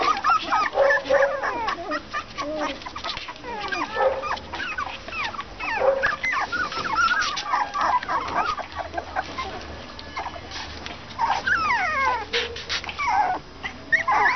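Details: Litter of English Cocker Spaniel puppies, roughly 30 days old, giving a steady run of thin, wavering whines and squeaks, many short calls overlapping one another throughout.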